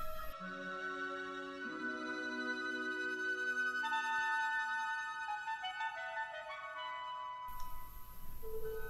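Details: Classical instrumental music with flute and sustained woodwind notes, and no animal voices.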